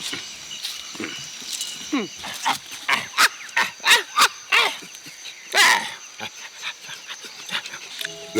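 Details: At a refuge, a one-year-old female orphaned chimpanzee learning alongside other young chimpanzees gives a run of excited, hoarse hoots and squeals, a call of joy.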